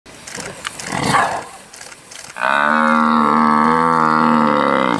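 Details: An African buffalo being attacked by a lion screams for help: about two seconds of rough, noisy scuffling, then a loud, steady, harmonic-rich bellow begins abruptly and holds at an even pitch until the end.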